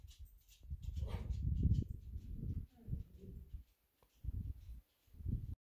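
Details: Xaia, a Belgian Malinois dog, talking back: low, throaty grumbles and moans in uneven bursts, several long rumbling phrases followed by short separated groans with brief silent gaps between them.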